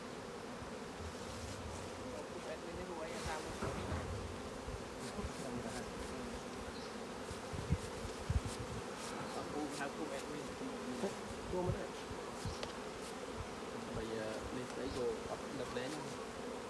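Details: Honey bees at a thriving hive while beekeepers harvest honey. A steady, dense droning hum runs through the whole recording, with scattered clicks and knocks from handling the hive frames.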